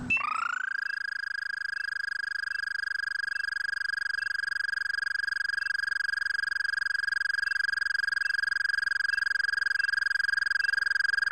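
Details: An Eastern American Toad (Anaxyrus americanus americanus) from West Virginia, about four inches long, gives its call: a long, steady, musical trill held at one even pitch.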